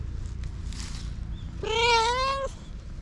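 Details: Japanese stray cat with a history of abuse, learning to trust humans again, lets out a single drawn-out meow lasting nearly a second, slightly rising in pitch, after quiet rustling over low background rumble.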